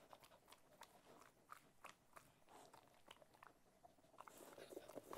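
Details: Ted, a pet Cocker Spaniel, munching food with irregular crunchy bites about three per second, getting louder and busier near the end.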